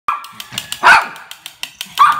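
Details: Happy mixed-breed toy dog barking while playing: two short, sharp yappy barks, one near the middle and one at the end, over a steady run of quick tapping clicks.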